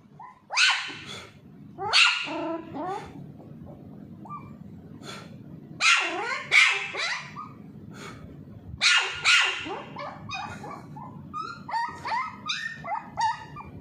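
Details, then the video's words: A little Pomeranian puppy named Charlie is teased during ball play and answers with clustered high-pitched yaps. Quieter, whiny rising yelps are mixed in, and a short pause falls midway. "Pomeranian puppy barking"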